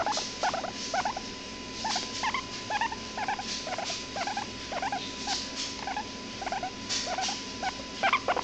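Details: A hairless guinea pig gives a run of short, rising squeaks and chirps, about two each second.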